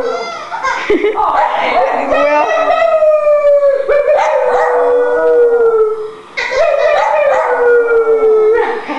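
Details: Fenway, an old dog of about 8 or 9 years, howls while scared. Long drawn-out tones slide slowly downward, with a short break between two sustained howls. Voices can be heard faintly behind him.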